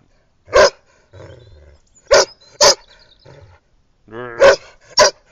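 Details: Irish red setter bitch playing on her walk by the pool, 2010: single loud barks spaced about a second or more apart, with softer low grumbling sounds between them.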